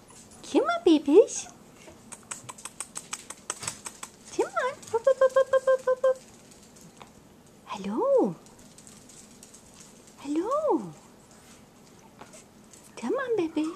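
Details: Jazzy's litter of four-week-old puppies, indoors, letting out arching whines between bouts of rapid clicking taps and a brief stuttering, buzzy squeal; whines recur every two to three seconds.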